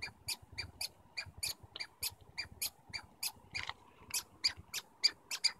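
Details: Squirrels in Stanley Park communicate with quick high squeaky chirps, roughly two per second, a bit rough and noisy, over soft background rumble.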